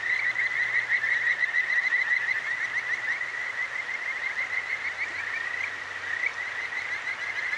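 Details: Kajika frogs, the clear-stream songstress, singing at night by the river in Akigawa Valley, Tokyo: fast, overlapping trilled chirps in a constant chorus, a few brighter rising notes near the end, over flowing water and a faint low hum.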